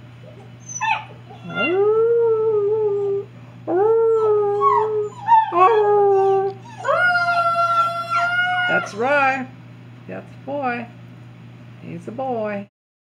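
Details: Three agouti Alaskan Noble Companion Dog pups, two females and one male, howl on command, giving long, wavering howls that rise, hold, then slide down, with yips between.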